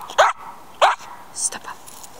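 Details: Schipperke working a scent track in training, two abrupt barks about half a second apart, followed by softer sounds and a person's voice in the background.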